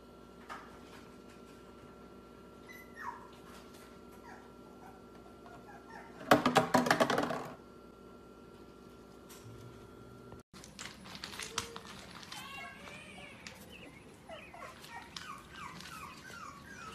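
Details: Pomsky puppies, a Husky and Pomeranian mix, indoors: faint, thin whimpers and short high yips scattered through the later half, after a brief burst of loud rustling handling noise.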